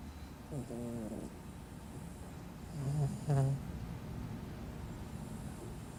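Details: Snoring from Caramelosh, a house cat, as three low, buzzy breaths: one early, then two close together around the midpoint, the last the loudest, with faint room hiss between.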